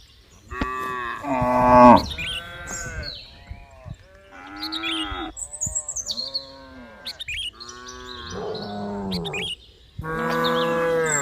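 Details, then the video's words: Several cows lowing in turn: a series of overlapping harmonic moos, some wavering and some falling in pitch, one much louder than the rest, with birds chirping in the background. "Suara dan SAPI-SAPI yang lucu || funny sound of cows and cows"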